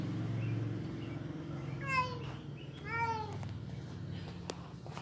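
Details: Persian cat mating with a village cat, giving two short, tonal, wavering meows about a second apart over a low, steady background hum.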